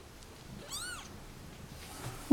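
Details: A single clear, downward-arching meow sounds indoors from a cat family, mother and babies, left at a turnpike, with faint room noise before and after.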